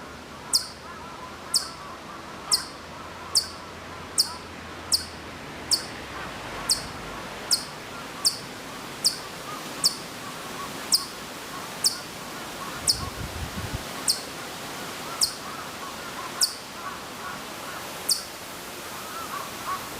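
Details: Hokkaido chipmunk at Maruyama in Sapporo, Hokkaido, recorded September 2014 from quite far away; sharp, high, clipped chirps repeated steadily about every 0.8 seconds through the whole stretch, over a soft outdoor background hiss.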